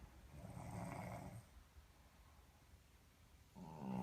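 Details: A Boston terrier snores with a low, rumbling, rattling breath while a man snores alongside it.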